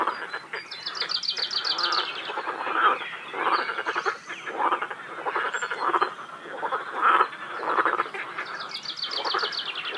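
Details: Chorus of frogs calling at a quarry lake near Feldkirch. Continuous rough, pulsing croaks swell and fade every second or two, and high rattling trills join near the start and end.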